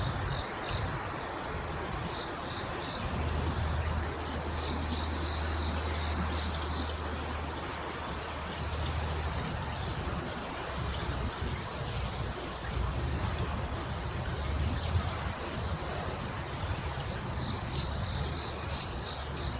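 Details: In a wood on Yeongjong Island, Korea, crickets give fast, beaded high chirps over a steady shrill chorus, while a low engine-like drone rises and fades in the background.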